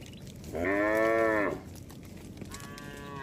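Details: One cow of a herd roaming the road gives a single steady moo of about one second, followed by a fainter, higher call from another animal toward the end.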